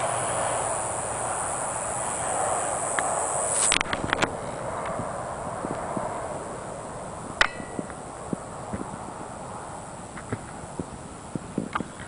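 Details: Diceroprocta olympusa cicada in Lehigh: a shrill, continuous high buzz that stops abruptly after about four seconds as it is approached, followed by quiet with footsteps, clicks and rustling.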